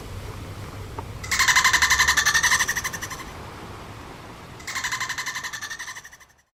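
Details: Dolphins at play give two buzzy click-train bursts with a ringing, slightly falling tone. The first is longer and louder, the second fades out. A faint low hum sits underneath.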